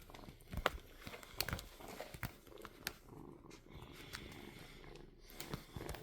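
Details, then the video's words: Kitten purring indoors in a small room, a steady low rumble running throughout, broken by sharp clicks and rustling handling noises. "Purring Kitten"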